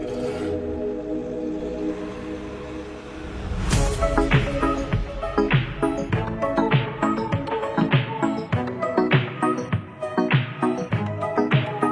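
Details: Electronic music, a sustained chord giving way to a pulsing rhythmic beat, with no animal sound.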